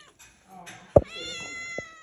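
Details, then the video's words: Pet female cat meowing while asking for pancakes indoors in a small room: one drawn-out, tonal meow lasting about a second that rises slightly then levels off, following a woman's soft Spanish question about what she wants to eat. "Cat Loves Pancakes"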